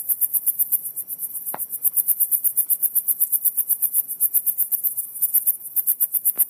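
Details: Steady chorus of crickets outside, a thin, piercing chirp pulsing about six times per second, interrupted by one short sharp knock and soft muffled background noise resembling a bad speaker.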